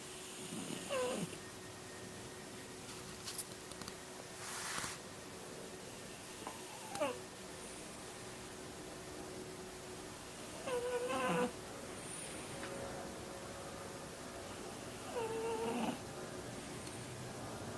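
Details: Soft snoring of a French Bulldog during a 4 pm nap on 9 March 2013: a snort every four to five seconds, some with a brief whistling, nasal tone, over steady indoor hiss.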